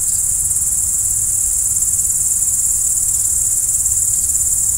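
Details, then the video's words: Crickets chirping at night: a constant, high, ringing trill from many insects blending into one steady wall of sound, with a quiet low rumble underneath. "Stars at Night BLACK B/G - Video & Audio Crickets"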